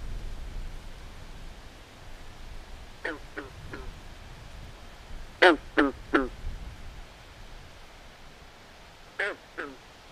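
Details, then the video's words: Night chorus of swamp frogs giving short, nasal quacking croaks in bursts of two to three over a steady low background hiss. "Natural Ambient Sounds Of Frogs At Night"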